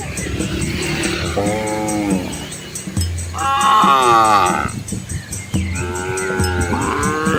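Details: Village cows with calves moving along a country road among rice fields in Asia; three loud, overlapping bellowing moos, each swelling then falling in pitch, with low rumbling tones and a faint steady high hiss behind.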